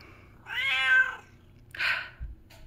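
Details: Indoor pet cat that screams all day whenever petting stops, demanding attention; one long, strained, harmonic-rich meow, then a shorter, harsher second cry.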